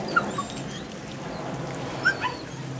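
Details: Female puppy, nine weeks old, from the Rodin/Katana litter: a pair of short, thin, high yips at the start and another pair about two seconds later, against a constant low room hum.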